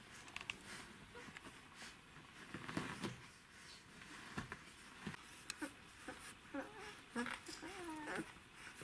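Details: Twelve-day-old Czechoslovakian Wolfdog puppies from the Orizon and Rahan litter, indoors, 3 December 2020: faint high squeaks and short wavering whimpers cluster in the last few seconds over soft rustling and low handling noise.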